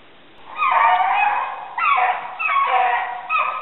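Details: Two hounds, Gurdy and Magnum, bay while chasing a rabbit during a winter hunt in southern New Hampshire, February 5, 2012: three drawn-out, harmonic howling bays, each about a second long, separated by brief pauses.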